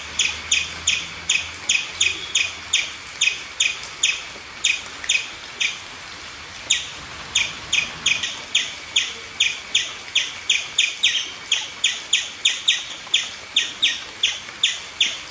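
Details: An Indian palm squirrel on a tree gives sharp, high chirps in rapid runs, several each second, during mild steady rain; squirrel.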